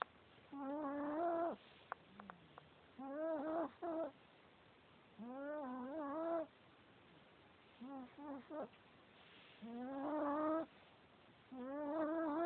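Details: Sleeping male Chihuahua snoring: nasal, tonal wheezes with a steady hum and stacked overtones, each lasting about a second, repeating every two to three seconds with quieter breaths and small clicks between.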